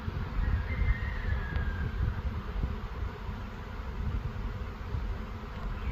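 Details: Huge honey bee swarm outdoors, said to number about a million bees; a dense, steady, low humming drone with one brief higher buzz passing early on, and a person speaking afterward.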